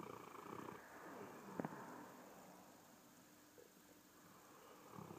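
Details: A sleeping Bullmastiff snoring, a favourite pastime of his: soft, low rumbling breaths with a slow, irregular rhythm, a brief louder snort in the middle, and a quiet indoor background.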